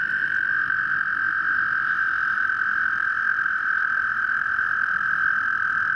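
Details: American toads (Bufo americanus) calling during breeding at Eldon Russel Park, Geauga Park System, Ohio: a long, steady, high musical trill that runs without a break.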